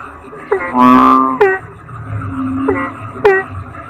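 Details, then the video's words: Toad (kodok bangkong) giving a deep, buzzy, harmonic croak lasting about half a second, with short sharp downward-sweeping calls before and after it, over a low rumbling background. "Suara Kodok Bangkong"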